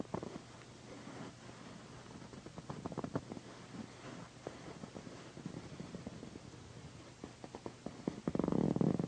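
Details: Pandy, a female pet cat and loud purrer, purring while being massaged beside a satin pillow; a low, steady rumble runs under soft scratchy rubbing and tapping, with a louder rustling burst near the end.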